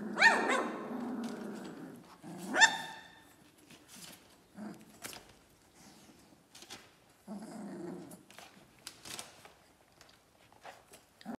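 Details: 21-day-old Dobermann puppies: two sharp, loud yelps in the first three seconds, then quieter, short whimpers and soft grunting sounds, with scattered rustling in the background.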